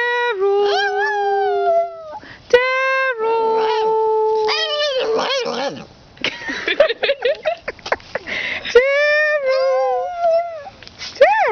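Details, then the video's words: Small female dog in a home during a care visit, 'talking' in drawn-out, wavering howl-like tones that seem to call for a boy; long held whines rise and bend, interrupted by a woman's speech in the middle. "the amazingly cute talking dog!"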